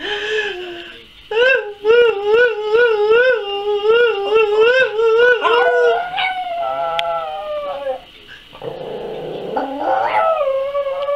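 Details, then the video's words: Roxy, a pet Yorkshire Terrier asked to sing, gives a sustained wavering howl with steady pulsing vibrato for about six seconds, then softer sliding whines and a final rising howl, indoors with a quiet room background. "ROXY SINGING"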